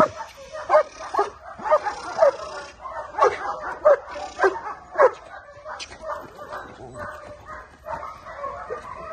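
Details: Male German Shepherd giving clusters of quick, mid-pitched barks at first, then quieter, looser barking later, with some speech in the background.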